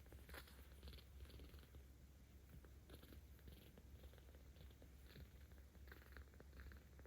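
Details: Low continuous purring from Ao, a 17-day-old rescue kitten in Tama City, Tokyo, 10 October 2022, louder under petting, with soft rhythmic brushing noises from the stroking hand.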